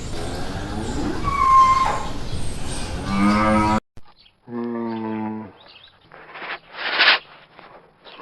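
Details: Cow mooing: a long, low, drawn-out harmonic moo, followed by a short, steady, lowing call and then scattered noisy bursts.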